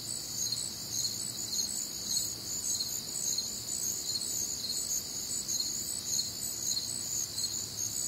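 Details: Night chorus of crickets recorded on a warm, humid Midwestern summer night: layered high-pitched chirps pulsing about twice a second over a continuous shimmering insect trill.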